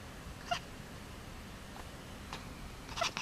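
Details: Domestic cat making a funny sound: two short, bright chirps with clear overtones, one near the start and one about two and a half seconds later, with soft faint noises between them in a quiet indoor setting.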